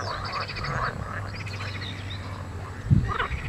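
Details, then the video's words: A spring chorus of frogs: rapid, overlapping pulsed croaks and trills, with a low steady hum underneath and a louder burst near the end. "заливистое весеннее кваканье"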